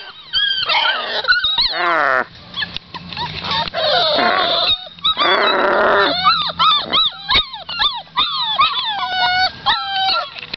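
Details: Several Pit Bull–Boxer cross puppies whimper and squeal nonstop. Thin, high, bending cries alternate with harsher, noisy squalls and brief yips over about ten seconds.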